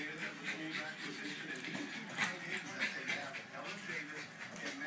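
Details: Excited Jack Russell Terrier Betsy tussling with a balloon, giving quick repeated high yips and whimpers several times a second, with squeaky rubbing and voices behind.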